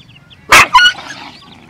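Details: Dog, a mother nursing her puppies and being fed: one sharp, loud yelping bark followed about a quarter second later by a second shorter, tonal yip, then quiet outdoor background.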